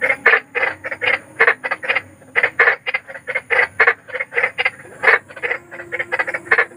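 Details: Eerie night calling of large frogs: clipped, nasal croaks repeated in quick groups of two or three, a few voices alternating, little else audible, framed as sleep therapy.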